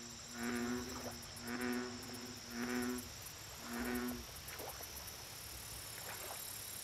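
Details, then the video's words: American bullfrog at a lake giving four low, resonant croaks in a steady series about every 1.2 seconds, then falling silent, leaving a continuous high insect drone and light ticking calls. "Bullfrog Lake Audio Only"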